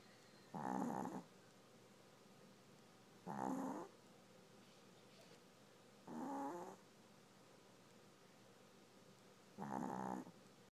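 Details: Dog asleep and snoring steadily: four harsh, buzzy snorts, each about half a second long, repeating roughly every three seconds in an even rhythm, with quiet pauses between them.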